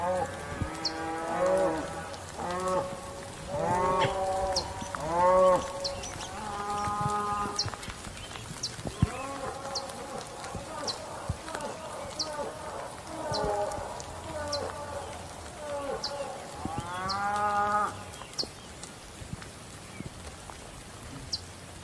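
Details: Bull moo sequence: a dense run of repeated harmonic bellows, short and arched, roughly every second or two, several callers overlapping, then a quieter gap and a final strong moo, with light clicking in the background.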